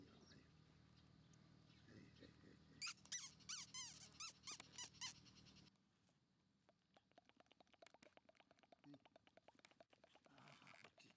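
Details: Black Shiba Inu male puppy, 34 days old, gives a run of high, arched squealing whines, about eight in quick succession, then quiet rapid ticking and tapping over a faint low hum.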